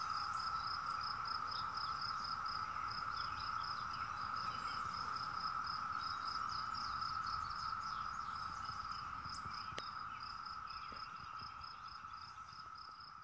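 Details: The 17-year cicadas' chorus trills as a constant hum that fades slightly toward the end. A high insect tone pulses regularly above it.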